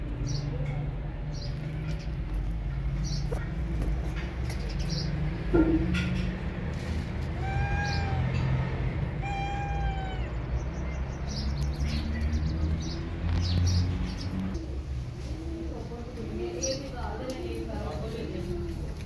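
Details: Cat Maya sharing her food with lone kittens, treating them as her own; two drawn-out, arching harmonic mews around the middle, set against repeated high chirps and a steady low hum.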